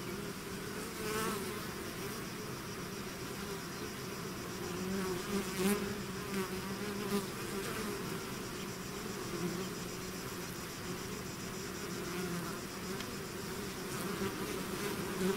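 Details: Bees swarming out of their hive in a natural setting give a thick, unbroken buzz, layered low tones wavering slightly as single insects fly past the microphone with brief louder whirs.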